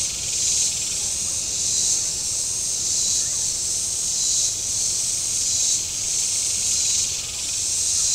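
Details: A very warm Saturday on the shore of Table Rock Lake, southern Missouri: cicadas fill the air with a high, sizzling drone that pulses in soft surges about every second and a quarter.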